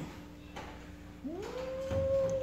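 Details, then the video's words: A jealous house cat called Kitty, confronted with another pet named Pizza, starts a low moan that slides upward into a sustained, plaintive caterwaul. A faint steady hum and soft knocks sit behind it. "Kitty Was Jealous | Cat Loudly Taking | Jealous Cat"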